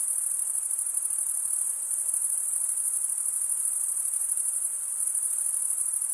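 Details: Crickets chirp together in a constant bright, high-pitched trill, finely pulsed and steady in loudness, with only faint hiss behind it.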